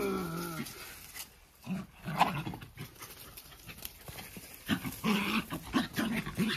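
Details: Pair of Jack Russell Terrier dogs play-fighting, like brothers, no one hurt: a short whine-like tone opens, then rough throaty growls come in bursts, thickening into a steady snarling rumble near the end.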